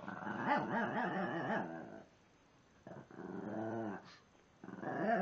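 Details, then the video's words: A Shih Tzu makes wavering grumbling whines and yips at another Shih Tzu, trying to get it to play; the other ignores him and finally chases him off. "Shih Tzu Dog Makes Weird Noises When He Wants To Play"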